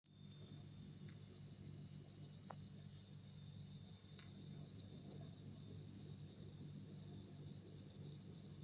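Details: House cricket chirping at midnight indoors; a steady, high, shrill trill of rapid pulses running without pause, with a faint low hum beneath.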